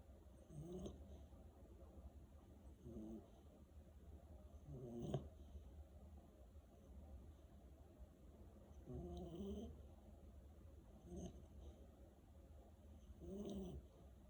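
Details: Sleeping Malinois puppy snoring in slow, raspy breaths, roughly one every four seconds, a few stronger snorts, with steady low background hum.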